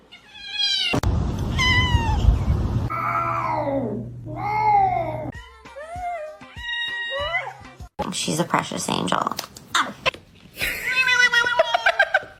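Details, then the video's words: Domestic cats meowing in a funny compilation: a run of drawn-out, bending meows, some falling in pitch, followed by quicker, higher mews, with people talking and a low hum behind. "cats meowing"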